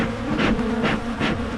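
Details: Honeybees swarm around a Michigan beehive as it is opened to make splits against swarming, some stinging at the camera; a steady low hum wavers near one pitch, broken by three brief hissy bursts of handling noise.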